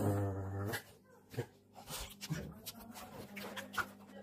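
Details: A playful Boston Terrier gives a low, droning vocal sound, then quiet clicks and scuffles.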